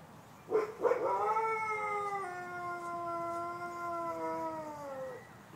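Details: A captive wolf at the Fresno zoo on Thanksgiving gives a long, smooth howl that starts with two short yips and slowly sinks in pitch.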